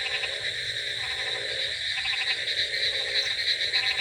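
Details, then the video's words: Frogs calling on a rainy night, short bursts of pulsed croaks repeating roughly every second against a steady high droning hiss. "Frogs Sound Effects With Rainy Night Ambience |Frogs Crocking Sounds"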